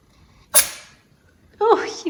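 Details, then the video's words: Pippin, a Maine Coon cat, sneezes over his owner indoors: one sharp, explosive burst. About a second later comes a short voiced sound. "Talking Kitty Cat Sneezing Over Owner!"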